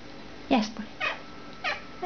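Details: Mitzura, a pet cat indoors, 'talking' back to its owner: three short meows in about a second and a half, the first sliding down sharply in pitch, the next two briefer and rising then falling, over quiet room hum.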